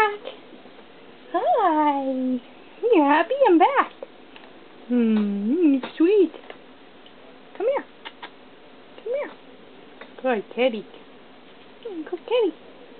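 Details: Young feral kitten, caught two days before and now lovable, meows repeatedly indoors: long falling mews first, then shorter bent calls in quick bursts roughly every second, with a person talking gently between them.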